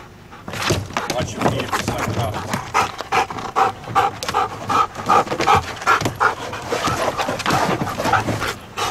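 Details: Detection dog candidate during training, rapid rhythmic panting breaths, roughly two or three per second, continuing throughout, with a handler's voice praising "good boy".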